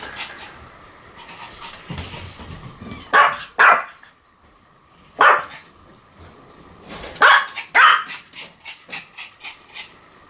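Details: Pomeranian giving sharp, high barks, mostly in close pairs, spaced several seconds apart, with soft panting and quiet huffs in between.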